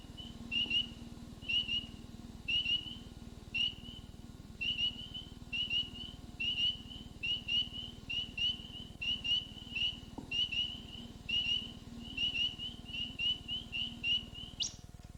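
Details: Spring peeper, one of the first frogs to call in spring, gives short, high, clear peeps with a slight upward slur, repeated about once a second.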